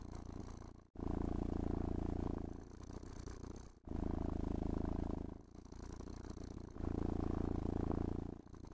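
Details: A pet cat purrs happily indoors during grooming with a brush and gentle petting; deep buzzing purr in long breath cycles of about two to three seconds, louder on one phase and softer on the other.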